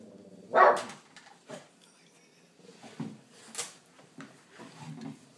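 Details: Boston terrier frenchton on watchdog duty indoors, with one loud sharp bark near the start followed by softer scattered huffs and muffled sounds in a small room.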